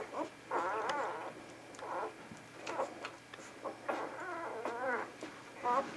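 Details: Vizsla pups, a litter seen on 10 January 2013, making short bursts of wavering whines and squeaks separated by brief pauses, with faint rustling in a small indoor room.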